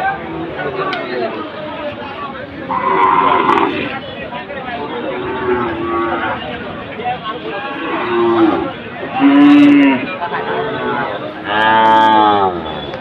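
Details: Sahiwal bull at the Ambari cattle market on Monday 24 July, where traders from Chattogram are buying bulls; market crowd chatter and voices throughout, then two drawn-out harmonic moos near the end, one lower and one higher.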